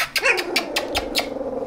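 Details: Australian Shepherd puppies, 16 days old, eyes and ears newly open, moving about together indoors; one short high squeal slides downward, then a run of sharp tapping clicks spaced about a fifth of a second apart.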